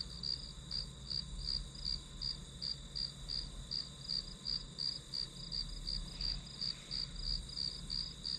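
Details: Grass insects as ambient study noise: shrill chirps pulse steadily near three per second over an unbroken high ringing, backed by a soft low hum.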